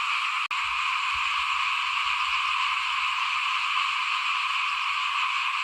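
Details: A chorus of small frogs in front of a house while rice is sown for the 2021 planting. Many voices merge into a continuous high rasping drone, broken once early by a short sharp click.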